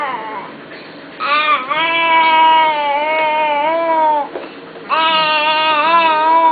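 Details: A wolf named Ethan making noises: two long, steady, tonal howling whines, each lasting about one to three seconds with a slight waver, separated by shorter squeaky yelps.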